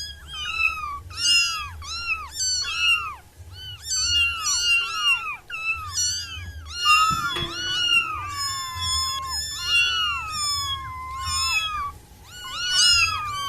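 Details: Six wild kittens crying in dense overlapping bursts of shrill, rising-then-falling meows, including a long falling wail, with one sharp knock midway and a low hum beneath.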